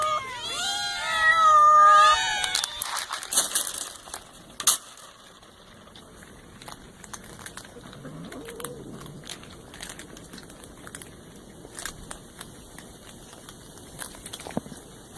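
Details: Cat giving a run of loud, drawn-out, wavering meows that rise and fall in the first couple of seconds. Quiet clicks, taps and faint background noise follow.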